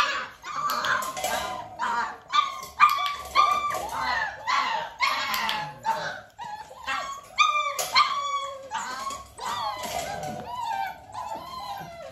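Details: Dalmatian puppies nearly six weeks old, indoors with their mother Arya during clicker training, give a busy string of high, short yips and squeaky barks, several pups calling over one another with brief gaps.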